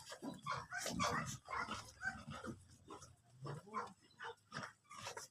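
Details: American Bully during a stud (mating) session at Imbalbalatong, Pozorrubio: rough, breathy grunting pulses repeated roughly twice per second, uneven in rhythm, with a low hum underneath.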